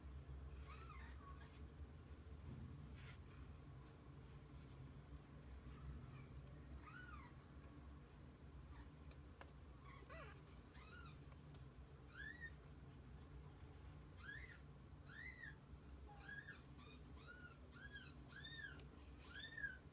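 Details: Kittens with their mother cat spending the day together: a long run of high, arched mews, sparse at first and then thicker, overlapping and repeated in quick succession near the end over a low steady hum.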